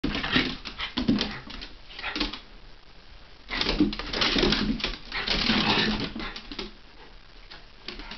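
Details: Havanese and Jack Russell play fighting indoors, January 2010: bursts of rough growling and snarling in broadband gusts, pausing around three seconds, then a longer run of growls, with scuffling between.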